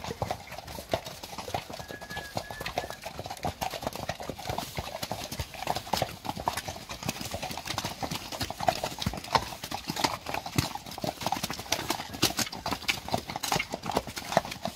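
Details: Friesian horses, mares in a pasture, moving about with many dense, irregular hoof thuds and clip-clops running throughout, broadband clatter with no clear calls.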